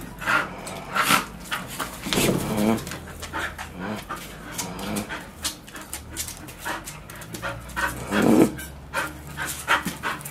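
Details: A Bull Terrier pants hard in rapid rhythmic bursts, with a few soft vocal sounds between breaths, while chewing a solid nylon-thread-wrapped bike tyre it cuts through within 20 minutes.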